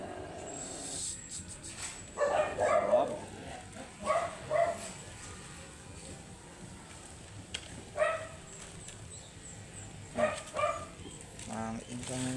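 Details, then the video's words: Angry, matted Shih Tzu during grooming, giving short sharp barks, often in quick pairs, in bursts separated by pauses of a few seconds over a low steady background hum. "Angry and matted shihtzu"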